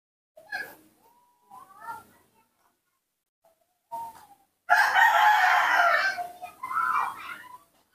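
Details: A baby monkey kept by a caretaker calls when its father is absent. A few short wavering whistles with pauses between them build into a long, loud, harsh screaming cry.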